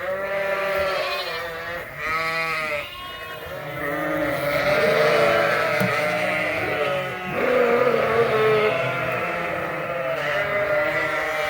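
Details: Around 120 Suffolk lambs, mixed into one group and racing around a barn at Ewetopia Farms, keep up a continuous din of overlapping bleats, long and quavering, over background music.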